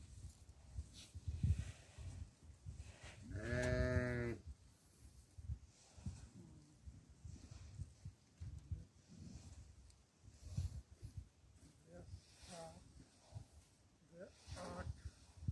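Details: Domestic goat being fed barley, giving one loud, wavering, nasal bleat of about a second near the start, then two short faint bleats later over low thumping and rustling feeding noise.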